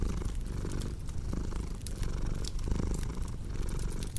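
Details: Close, deep purring of a cat, rumbling in short breathing cycles, while a crackling fire adds intermittent sharp pops.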